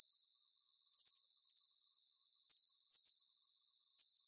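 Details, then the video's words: Crickets giving high-pitched, trilled chirps, bunched into pulsing clusters with a short lull midway, a clean insect sound with no background noise. "Calming Cricket Sounds"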